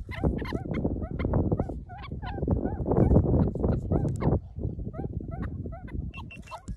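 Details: A group of meerkats perched on a person, using them as a vantage point, keep up rapid overlapping bent chirps several times a second amid loud rustling and close handling thumps.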